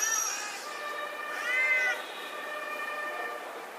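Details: Domestic cat fighting on a road: drawn-out, wavering yowls with a loud rising-falling wail near the middle, harmonics stacked high, steady outdoor hum behind.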